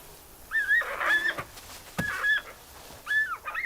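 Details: Giant panda squeals in three harsh, wavering bursts: a brief fight as a female, not yet in estrus, attacks the male after coming down from a tree, where he had guarded her from a rival male.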